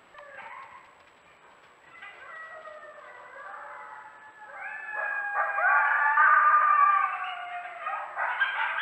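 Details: Coyotes on a trail camera in January 2024, with a little snow, give a group chorus of overlapping wavering howls and quick high yips that rise and fall, building louder and busier toward the end.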